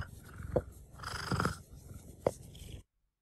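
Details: A domestic cat (Felis catus), excited and happy while having its neck scratched, purrs with its mouth slightly open, a low, rumbling, noticeably breathy purr.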